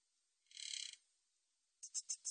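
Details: Buzzy, finely pulsed trill of a Min's bush cricket lasting about half a second, then four evenly spaced sharp ticking chirps; recorded in 2020 by the National Institute of Biological Resources, no other sounds.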